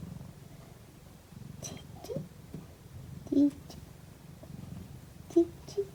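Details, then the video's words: Cat purring softly during a nap: a faint, low, even rumble runs throughout, with a few brief higher-pitched squeaky sounds breaking in near the middle and end. "ひたすらゴロゴロ音を奏でるお昼寝中の猫｡Cat’s purring sound."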